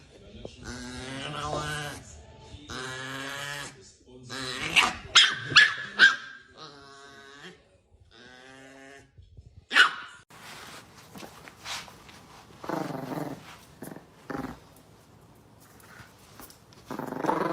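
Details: Chihuahua puppy giving a run of harmonic whining yelps and short growls in bursts over the first six seconds, with sharp high squeaks near the middle, then quieter scattered grumbles and pauses toward the end.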